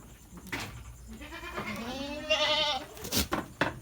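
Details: Goat in a pen at Indatu Farm, Lhokseumawe, Aceh, Indonesia, utters a single trembling bleat that rises and swells for about a second. Sharp knocks and rustling sound around it.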